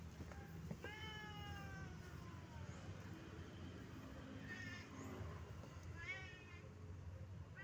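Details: Shy cats giving a drawn-out falling meow followed later by two shorter, quieter meows, over steady low rumbling background noise and faint speech.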